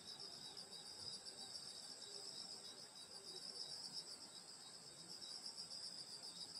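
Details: Countryside insects on a summer night at a grandmother's home in Korea, steady high-pitched ringing trills overlapping in bands, a constant shimmering wall of sound.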